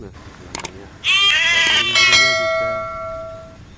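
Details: Village goats calling while being fed: after faint clicks, a single long, drawn-out bleat lasts about two and a half seconds, strong and reedy at first, then slowly fading with a steady pitch.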